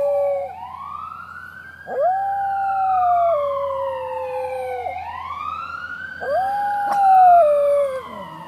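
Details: West Highland Terrier named Cody howling as a fire truck passes by with siren wailing; long steady howls that dip slightly in pitch, overlapping repeated swooping siren sweeps.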